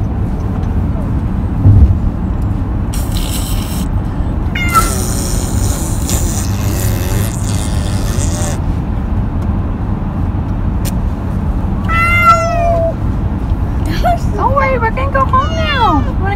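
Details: Pet cat on his first car ride in a long time, with two bursts of wavering, bent meows near the end; road noise rumbles throughout and brief rustling and voices come earlier.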